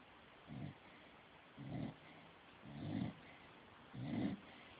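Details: Stifler, a pet dog, snoring: four low, rough breaths at roughly one-second gaps, each a short grainy rumble with a faint higher hiss, separated by quiet background hum.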